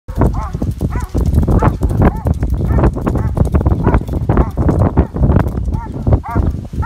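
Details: Belgian Malinois in civil agitation training without protective equipment, barking in rapid bursts of about two a second, with heavy low rumbling and thudding noise throughout.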